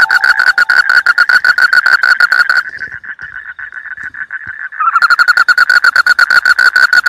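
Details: A frog calling in a rice field, praised as melodious: loud, fast, even pulses of a bright nasal note, about two per second, fading to a softer run before the loud series resumes.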